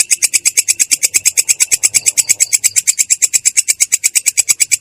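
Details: Katydid known locally as belalang kecek giving its ngerol roll, clear and harsh: dense, very regular high rasping pulses, about eight each second, sustained throughout.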